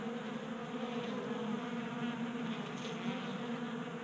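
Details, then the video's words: Many honey bees crowding a 3D printed feeder on a workbench in a Colorado garage on a warm January day; constant low buzzing drone, thick and unbroken, swelling slightly as bees move around. "45 Minutes of Honey Bees Feasting from 3D Printed Bee Feeder ASMR"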